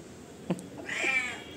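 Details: Rowdy cat demanding attention with a single clear meow, bright and slightly wavering, following a sharp click; faint low human voices are in the background.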